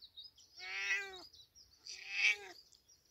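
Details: Cat meowing in a village: two loud, tonal meows about a second apart, each steady in pitch and fading at the end, over a quiet background with high chirping.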